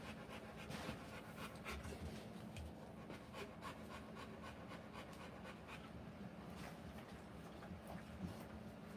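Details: Rottweiler giving birth to puppies; quick, shallow, breathy panting continues steadily throughout over a faint constant hum, ending in a sudden loud knock.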